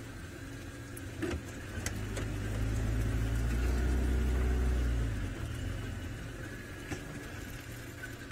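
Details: A vehicle engine hums and swells in the middle, with a few clicks and knocks and no animal voices.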